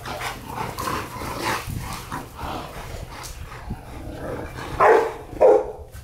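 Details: Rottweiler from a breeding pair, a male and female kept together: two sharp, loud barks close together near the end, preceded by several seconds of muffled background noise and softer indistinct sounds.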